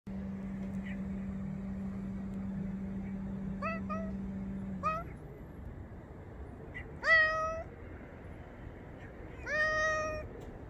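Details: Grey and white cat meowing on a fence: four harmonic meows, short and rising at first, then two longer, louder calls that rise and hold steady, over a low steady hum.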